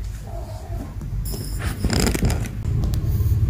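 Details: Creaking, scraping and rustling in a small room, with louder clattering bursts near the end and no animal call.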